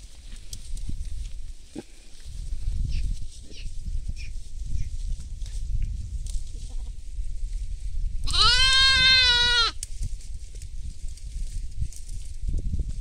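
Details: In a field where goats and sheep are feeding, one loud, quavering bleat rings out for about a second and a half near the end, set against steady low wind-like rumble and faint background noise.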